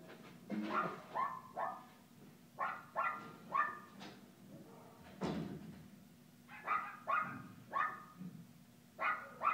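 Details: Playful barking from Kooper, an Alaskan Klee Kai puppy at Paws Pet Resorts Lake Forest doggy day care; about a dozen clipped, high yips come in loose bursts, with a deeper thump midway and steady room rumble beneath.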